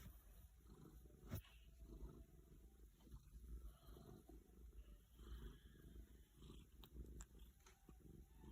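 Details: Domestic female cat purring while being stroked, her stomach also making strange noises; a low, continuous rumbling purr fills the clip with a few faint clicks and rustles.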